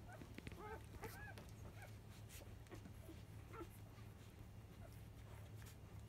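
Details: Five-day-old field-type Labrador Retriever puppies, born to biscuit, the 2017 JFA grand champion, at their 10 a.m. nursing: scattered thin, rising squeaks and short whimpers early on, then quieter, over a steady low hum.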